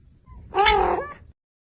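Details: Domestic cat from a funny cat and dog compilation giving one loud, drawn-out meow of about three-quarters of a second, harmonic and slightly wavering, ending with a brief upturn; faint music and background noise just before.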